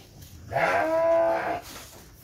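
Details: Batur Merino sheep at lambing, during the birth of two lambs: one steady, richly harmonic bleat lasting about a second, held at an even pitch with a soft onset, in an otherwise quiet indoor setting.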